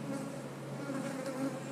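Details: Soft, even humming of honey bees on an eight-frame hive, recorded while eggs are spotted in a frame corner during an inspection. The drone holds steady throughout.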